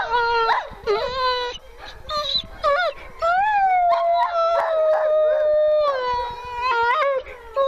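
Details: Female grey wolf howling at a wolf sanctuary: a tonal, wavering howl that breaks and slides in pitch early on, then settles into a long, smooth, slightly falling drawn-out note with rich overtones.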